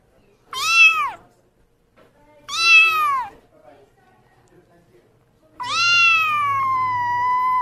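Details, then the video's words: Pet cat calling with two short, falling, harmonic meows about two seconds apart, then a longer sustained meow held level for nearly two seconds; faint low hum underneath. "Cat Sound"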